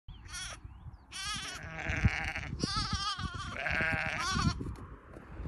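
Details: Lamb running to reunite with its mother, early morning by country roads in Wales, UK, in June: several quavering, wavering bleats in quick succession over wind noise, with a low rumble underneath.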